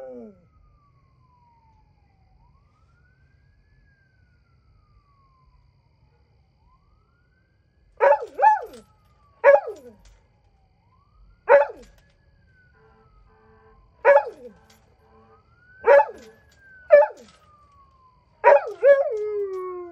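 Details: Night howling by a pet dog. Nearly eight seconds of near-silence are followed by a series of short, wavering howls, repeated every one to two seconds, over a thin gliding siren-like tone.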